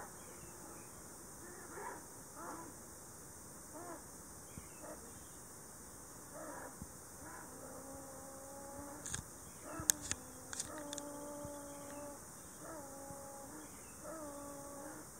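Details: Ezo sable, two animals huddled together in a tree hollow in Shiretoko forest, Hokkaido, on 26 July 2018, a pair in breeding season, the call taken as a mating-season voice with threat: faint, repeated harmonic whines, some drawn-out and level, over steady forest hiss.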